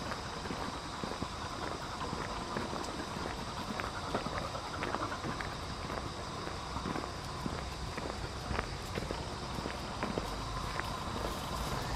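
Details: Continuous footsteps and light clattering on an outdoor walk over a constant background hiss, with no barks or other animal voices.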